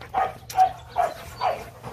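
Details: Young Rottweiler, one of two pups named Nina and Nano kept from the Gervi kennel, playing with its owner: rhythmic huffing breaths with a faint voiced tone, about two per second, in short even bursts.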